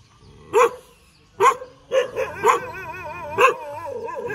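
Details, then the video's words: Dog barks as it wags its tail. Five loud, separate barks are spaced about half a second to a second apart. From midway a wavering, warbling whine-like tone continues underneath. "เสียงหมาเห่า หมาเห่ากระดิกหาง"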